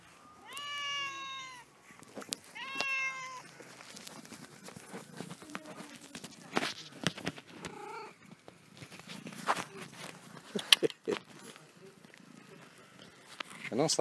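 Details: Pet cat indoors, restless and never staying still, gives two clear harmonic meows in the first few seconds, each rising then falling, followed by clicks, handling noise and Italian speech nearby.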